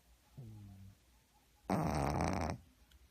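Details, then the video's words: Pug asleep and snoring hard. A brief, soft, tonal wheeze comes first, then one loud, rough, buzzing snore of nearly a second. The room is otherwise quiet. "퍼그는 코골이가 심해요"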